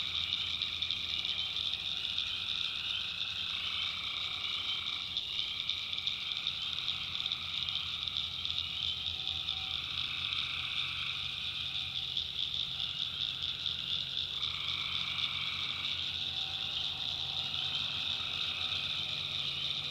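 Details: Nighttime swamp in North Carolina's backwoods, where massed tree frogs keep up a steady high-pitched trilling chorus; lower voices switch on and off in stretches of a few seconds while a soft low drone runs beneath.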